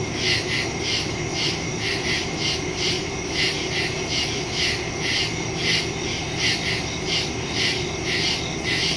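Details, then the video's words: Crickets calling in the woods after dark on September 2, 2023, phone and stereo microphone recording; high trilled pulses come in quick regular bursts, overlapping callers creating a thick, shimmering chorus. "Crickets in the woods at night"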